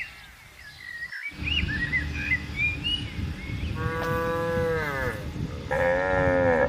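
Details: On an open green pasture where cows and buffaloes graze, light bird whistles come first over a grassy outdoor hum. Two steady moos follow, the second loud and nasal, each lasting about a second.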